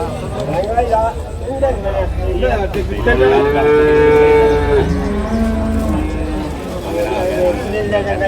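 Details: Water buffalo calves being traded at an early-morning market in Manjeri, Kerala, India. A clear, sustained moo holds level for nearly two seconds, then a lower, shorter call follows, with crowd voices and traffic rumble behind.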